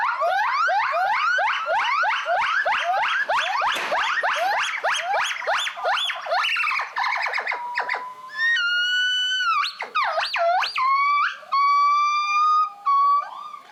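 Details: A captive gibbon at a California conservation centre, thought to be a mother, gives a rapid, accelerating series of rising whoops as a territorial call; gibbons patrol and announce their territory early in the morning.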